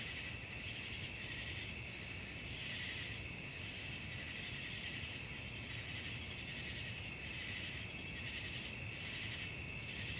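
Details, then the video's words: Night-time cricket chorus with steady, shrill trilling from many insects, rhythmically pulsing in volume throughout, and a constant low background hum beneath. "suara jangkrik malam"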